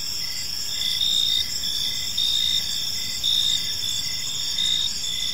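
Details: Evening park chorus of crickets: continuous shrill, ringing chirps layered in several high bands, with louder bursts recurring about once a second against soft low-frequency rumble.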